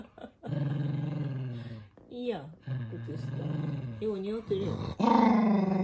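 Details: Minato, a toy poodle kept indoors, growls angrily at having socks put on his feet: long, steady, low harmonic growls lasting over a second, broken by short twisting whines, with human voices mixed in.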